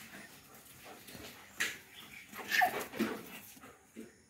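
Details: German Shepherd family pet, with the household about a year and a half, squabbling over a piece of wire; short high whimpering squeaks rise mid-clip after a sharp knock, with faint room noise around them.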